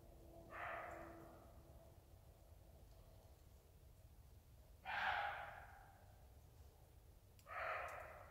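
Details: Roe deer barking: three harsh, hoarse barks spaced a few seconds apart, each a short rasping burst, over a quiet low background rumble.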